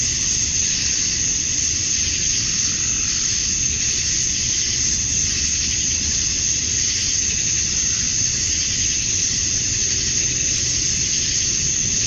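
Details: Male cicadas in Georgia, USA, droning at summer dusk to attract females: an even, shrill high buzz holding for the whole stretch with mild waves in intensity and a muffled low noise beneath.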